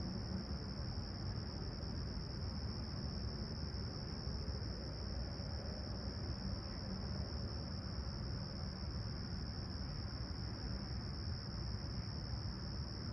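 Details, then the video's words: Summer-morning crickets at Toronto's Humber Bay Shores, 28 July 2020, clear and calm with 20ºC at sunrise. Their thin, shrill trill holds steady without pause above a loud low background roar of urban traffic. "Serene Summer Toronto Morning With Chirping Crickets"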